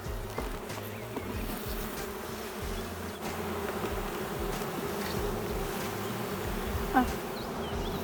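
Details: Continuous humming buzz from a drone-laying honey bee hive that has lost its queen, a steady, fairly low drone with a few faint ticks and one brief sharp knock near the end.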